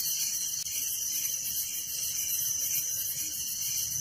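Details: Steady nocturnal cricket trilling around a village, a bright, shimmering high-pitched pulse with no other clear sounds.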